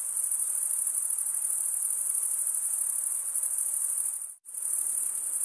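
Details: Cricket chirping, made by wing stridulation: an unbroken shrill high trill, rapidly pulsed, that drops to a brief silence near the end before resuming at full strength.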